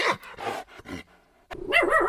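A dog gives three short, sharp barks about half a second apart, then a wavering, whine-like sound follows with music in the background.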